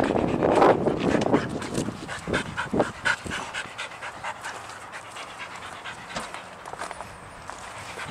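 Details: Sadie, a pet dog, excited and jumpy over an unseen squirrel: loud, quick panting bursts and short whimpers in the first seconds, easing into softer, irregular breaths and snuffles.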